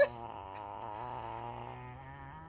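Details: A Shih Tzu, scolded by its angry owner, gives a drawn-out, wavering grumble with its voice bending up and down like talking, as if explaining itself while wagging its tail; the owner remarks it has so much to say.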